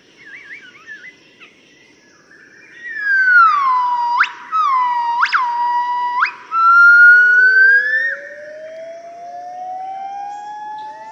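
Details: A family of yellow-cheeked gibbons gives its morning song in Cat Tien National Park, Vietnam, on 15 March 2013: long, pure swooping notes that shoot sharply upward, then glide into a rising wail.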